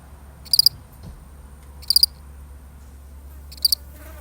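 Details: One lonely cricket in a real recording, three crisp chirps of three quick high pulses each, about a second and a half apart, over a steady low hum.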